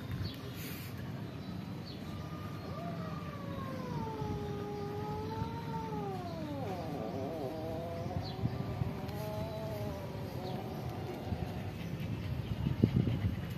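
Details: Several cats and kittens living at a pagoda meow while asking for food; long, wavering meows overlap from about two to eleven seconds, bending up and down in pitch over a low background rumble and scattered clicks.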